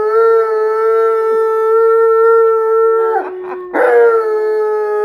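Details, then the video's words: Malamute and Blue Bay Shepherd howl together: a long steady tonal howl held for about three seconds, a short broken yodel-like break, then the howl resumes at the same level. "Howling Malamute & Blue Bay Shepherd"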